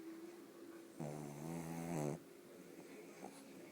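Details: Sleeping pug Bóris lets out one long, rattling snore of about a second, low and vibrating with a buzzy drone, framed by quiet breathing in a small room.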